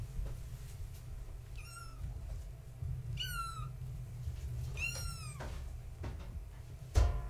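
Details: Kittens of floofy tabby Gaia, born March 14, 2017, at bedtime play indoors; three high thin kitten mews, each a rising-then-falling cry, roughly every one and a half seconds, a soft thump near the end, low room hum throughout.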